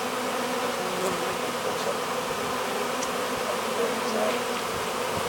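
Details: Honey bee swarm being hived, bees fanning at the hive entrance: a dense, steady buzzing drone with a low hum band and faint scattered clicks throughout.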